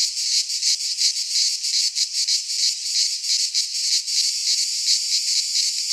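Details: Greek pine forest in midsummer, full of singing cicadas: a loud, unbroken, metallic whirring with a rapid rhythmic throb. No birds or voices are heard.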